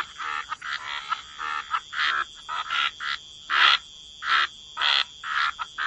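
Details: Several frogs at a wetland give short grating croaks in uneven bursts, some louder callers standing out over a constant high-pitched hum.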